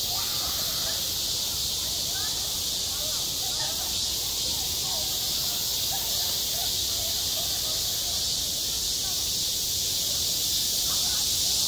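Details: High, steady electric-sounding drone of a cicada at a school playground in midsummer, swelling slightly toward the end, with soft distant chatter of voices underneath.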